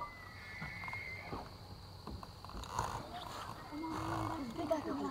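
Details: A giant bull elk bugles during the September rut along the Missouri River, C.M. Russell National Wildlife Refuge, Montana: a thin high whistle held steady, then trailing off.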